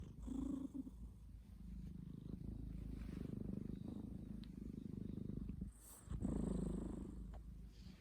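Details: A sleeping domestic cat snoring: quiet, low rumbling breaths that rise and fall, with a brief pause just before six seconds and a louder, fuller breath right after it.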